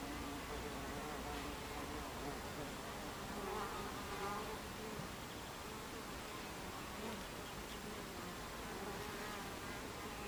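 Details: Buckfast honeybees at a hive entrance, recorded 26 July 2013 at 14:30; a dense continuous buzz of many bees with faint wavering hums from individual fliers passing.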